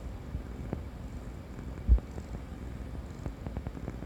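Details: Tabby cat that likes its owner's stomach noises, purring as a steady, deep, low rumble that runs throughout, with one soft thump near the middle.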